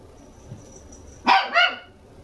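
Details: Two-month-old red female Toy Poodle puppy nicknamed Yuzuru, born December 12, kept at a Toy Poodle specialist house in Machiya, Arakawa, Tokyo; two quick high yaps close together, harmonic and bright, after quiet room tone.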